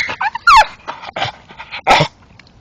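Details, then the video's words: Male English Staffordshire bull terrier excitedly chewing a tree stump at night, letting out squeaky whimpers and a sliding high yelp between rough crunching bites, with a man quietly urging him on. "going mad chewing tree making sounds dat are funny as hell"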